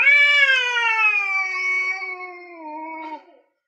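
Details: An orange male cat and a grey male cat face off over territory before fighting. A single long, loud yowl starts high, then slowly sinks and fades over about three seconds.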